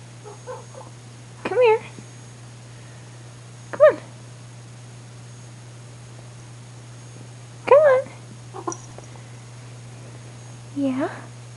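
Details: Pet cat at 11:30 at night, giving four drawn-out, bending meows several seconds apart, some rising then falling, while a person softly calls it over in a small quiet room.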